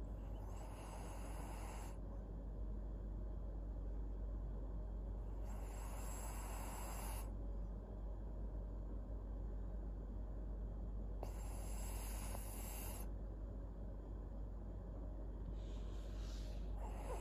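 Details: Maria, a fourteen-year-old senior fawn female pug in Japan, snoring: hissing breaths recur roughly every five to six seconds over a steady low rumble, with nothing else clearly heard.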